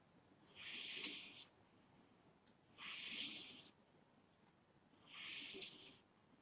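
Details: Snoring of a sleeping pet cat: three evenly spaced, hissy, whistle-tinged breaths, each about a second long, recurring roughly every two seconds with near silence between them.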